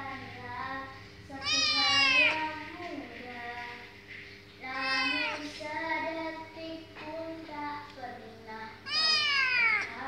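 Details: Kitten described as good at singing gives three long, rising-then-falling harmonic meows about every three to four seconds, with softer murmured vocal sounds between them and a steady low hum underneath.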